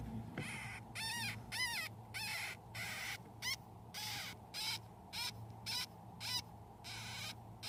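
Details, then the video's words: Baby hamsters, one week old, among a litter of eleven raised by their mother Yuki, squeak while drinking milk: high, arched squeaks repeated nearly twice a second in short bursts, over a steady low hum. "【赤ちゃんの鳴き声】ミルクを飲む子供達の様子【ハムスター】baby hamster crying"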